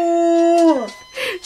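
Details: Female pet dog howling in response to a siren, ending a level mid-pitched note with a downward slide and fade, then a short lower noisy sound.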